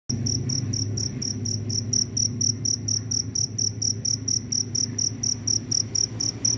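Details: Cricket calling after rain while roaming in search of a mate: loud, high chirps pulsing in a steady train of about four per second, with a low hum underneath.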